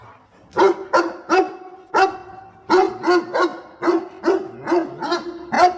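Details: A dog barks repeatedly in short, sharp bursts, several barks close together, while helping its owner pick water spinach.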